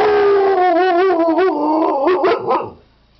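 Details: Siberian Husky giving a single drawn-out howl of about two and a half seconds. It wavers in pitch, dips in the middle, then breaks into short uneven yodel-like pulses before fading out. The background is quiet.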